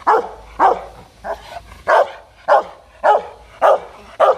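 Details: An aggressive Rottweiler in a threatening fit barks deep and harsh, repeating about every half second in a steady series.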